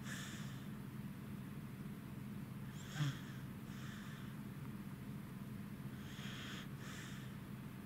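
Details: Goro the Corgi asleep and tired beside Roku, recorded 3 August 2018; a few breathy snores about three seconds apart, one with a brief snort, against a quiet steady hum.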